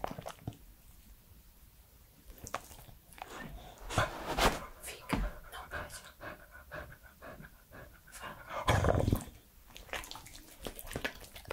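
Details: Active three-year-old male Pembroke Welsh Corgi indoors, close-miked for ASMR mouth sounds: quick breathy panting with licking and lip-smacking, growing louder in bursts around the middle and near the end.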